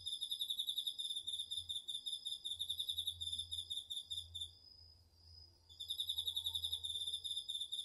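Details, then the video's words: Crickets and other autumn insects in a home garden vegetable plot, recorded with a DR-40X. Rapid, pulsed high trills repeat in bursts. They pause mid-clip while a steady, thin tone from another insect carries on, then resume. "秋の虫の声 ASMRでおやすみなさい 〜虫の音を枕元で聞いてね〜 こおろぎ他"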